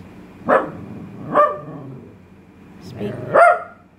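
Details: Male Italian Greyhound, trained to bark when told "speak", gives four brief, sharp barks at uneven intervals of about one to one and a half seconds, while a person talks and repeats the command.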